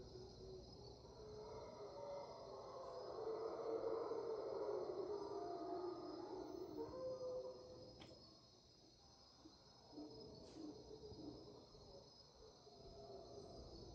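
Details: Mantled howler monkeys at dawn in Panamanian rainforest, 5am, March 8, 2023: distant raucous roaring swells and peaks between two and seven seconds, then fades; a steady high insect whine runs throughout, with a few sharp ticks.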